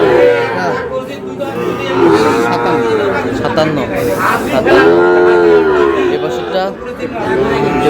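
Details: Sahiwal cattle bull calves in Noakhali, Bangladesh: two clear, loud, long moos that arch up and fall away, around the second and fifth seconds, with chatter and other cattle faintly behind.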